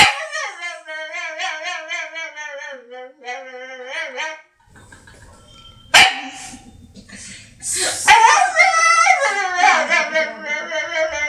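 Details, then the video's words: Funny dog sounds: steady pulsed whining in two stretches, a quiet gap with low rumble, then sharp yelps leading into a loud wavering howl-whine. "Funny DOG MAKES FUNNY NOISES"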